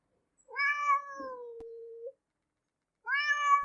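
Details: Domestic cat meowing: a long, drawn-out, slightly falling meow of about one and a half seconds, then a pause and a second, shorter meow. Quiet background.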